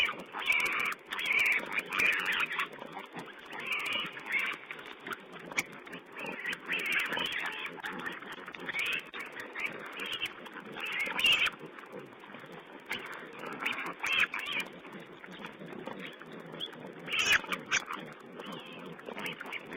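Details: Wild boar piglets feeding, filmed by a webcam on 16 April 2010: harsh, noisy squeals and grunting bursts come in quick irregular clusters, loudest around the first few seconds and near eleven seconds, over a constant hissing background.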